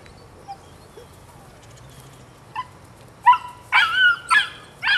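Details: High, harmonic puppy barks from a nine-week-old female out of Rodin and Katana, quiet whimpers first, then a loud cluster of sharp barks in the final two seconds.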